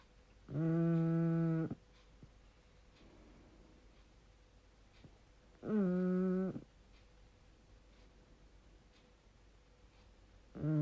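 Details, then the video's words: Pug named Rupert Eli snoring while asleep with his eyes open, indoors; long droning, buzzy tonal snores of about one second each, repeating roughly every five seconds, with quiet breathing gaps between. "Pug snoring with his eyes open"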